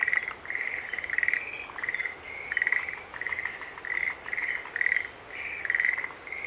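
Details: Green tree frogs chorusing in rhythmic swells: pulsed, reedy calls come in groups about half a second apart, rising and falling in loudness with short gaps between bouts.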